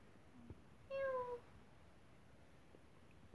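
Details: Domestic cat giving one short, clear meow lasting about half a second that dips slightly in pitch, in a quiet setting with a few faint knocks around it.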